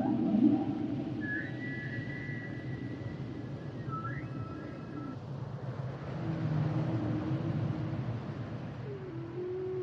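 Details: Humpback whales singing: a high steady whistled tone that steps down, then a long low level moan and a rising note near the end, over a constant underwater rumble.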